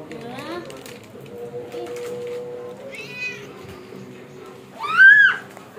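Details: Village cat giving a rising then falling meow near the end, after softer mews, with a steady low hum and a voice in the background.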